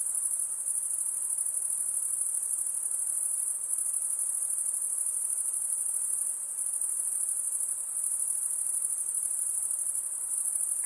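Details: An unbroken, piercing insect drone sits high and steady, with a faint rapid pulse and no other clear sounds.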